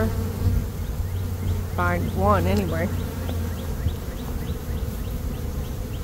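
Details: Honey bees swarming in early May after a dearth, being gathered into a box: a constant low humming drone, interrupted in the middle by a short stretch of human speech, with faint repeated bird chirps.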